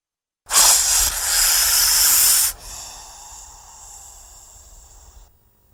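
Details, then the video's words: Threatened or frightened snake giving a loud breathy hiss of about two seconds, then a softer, quieter hiss trailing on for nearly three more seconds before stopping. "Il Sibilo Segreto dei Serpenti | Snake sound – Hissing sound"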